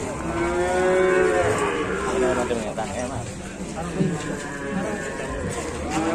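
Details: Cattle in an Indonesian farm setting, described as a fierce, crazed cow being pranked. Long harmonic lowing that swells and bends, with several overlapping moos and a continuous background murmur.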